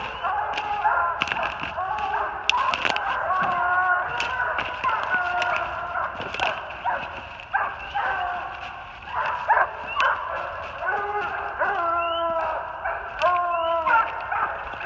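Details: Three Treeing Walker Coonhounds (an open spotted female, a saddle back male with chop, a blanket back male with long bawl) treed on a big den 450 yards off in New Jersey, 3/28/18; overlapping harmonic bawls and chops from several dogs, steady and distant.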